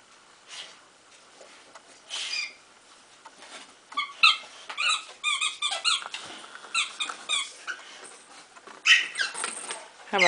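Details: Duke, a pet bulldog, choosing among toys indoors, gives a string of short high whimpers and squeaky whines, some rising and falling, clustered toward the end amid soft rustling.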